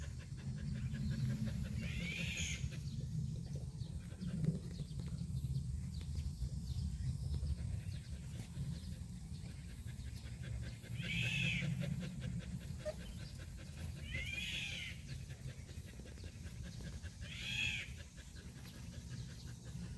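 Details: A black Jindo of pure breed lets out four short, arched whimpers at irregular intervals, one early and three later, over a steady low droning rumble with faint clicks.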